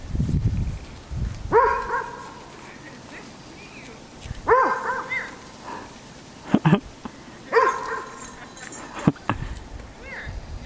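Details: Poodle on a snowy trail barking at a snowman it has just met, seemingly confused: three loud, harmonic barks with a slight falling pitch, spaced about three seconds apart, with crunching footsteps and faint low rustling between them.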